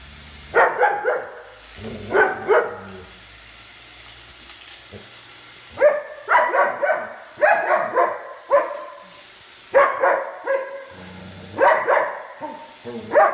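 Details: Dogs barking in short bursts, several sharp barks grouped together with pauses of a second or two between groups, plus a few softer low sounds in the gaps.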